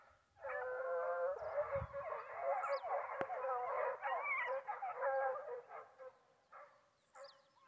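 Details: A pack of foxhounds hunting wild boar in Brazil gives tonal, wavering howls from several dogs at once, a thick chorus of baying lasting about five seconds before it thins to scattered calls, with faint bird chirps above.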